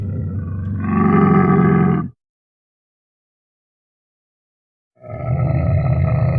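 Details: A Bactrian camel makes a deep, gurgling groan that swells and then cuts off. After a three-second silence, another low, rasping bellow begins.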